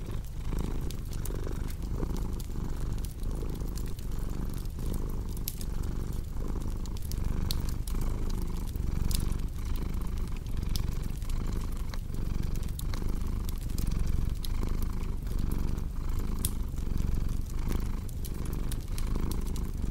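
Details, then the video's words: Continuous low cat purr, pulsing with each inhale and exhale at an even pace, with a fireplace crackling and popping throughout. "Purring Cat with Cozy Crackling Fireplace Sound"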